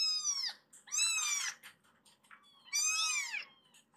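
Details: Rescued foster kittens in Japan crying to be let out of their room to play on the sofa: loud, piercing, high mews that arch and fall, three main cries within four seconds, indoors.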